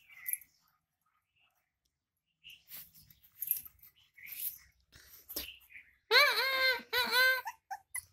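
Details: American Bully named Mini at lunch time, being fed egg; two loud, high, wavering whines with rich overtones near the end, preceded by scattered soft clicks and short mouth noises, with Hindi speech around it.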